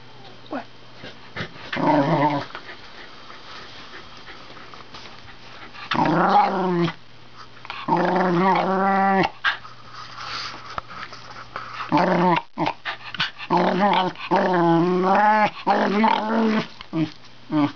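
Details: Wire Fox Terrier dog, a pet indoors, 'speaking' in drawn-out, wavering howl-like moans and grumbles, several voiced phrases with rising and falling pitch, separated by short pauses.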